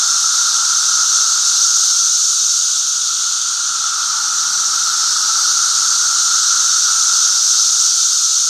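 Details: Brood V periodical cicadas in full chorus on May 31, 2016: continuous sizzling high-pitched hiss from many insects, layered over a constant lower hum, with almost no change across the clip.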